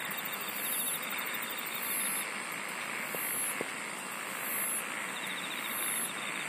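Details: A chorus of singing insects, layered high buzzing trills pulsing roughly every 1.3 seconds above a continuous shimmering drone, with a couple of faint clicks midway and a wash of background noise.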